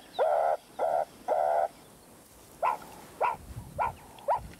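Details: Meerkats in the Kalahari desert give high-urgency alarm calls during a predator-warning experiment: harsh, nasal squawks in quick succession that become shorter and sharper as a low-urgency call escalates when the moving threat draws closer.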